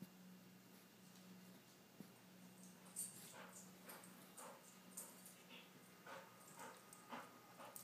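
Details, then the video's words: Snoopy, a pet dog indoors, holding back from barking at noisy birds outside while someone sleeps in the other room; quiet, muffled woofs repeat about every half second over a steady low hum. "Bark Quietly Snoopy"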